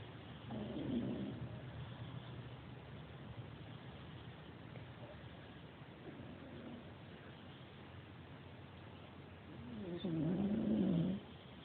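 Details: Sleeping dog snoring softly indoors, three rough, low breathy snores roughly every four to five seconds, the last one longer and louder with a wavering tone, over a faint steady hum.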